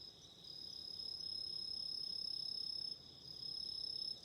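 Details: Autumn insects in loud, clear song: shrill high-pitched pulsed trills and a thin sustained tone, with a brief dip in loudness near the end before the chirping resumes strongly.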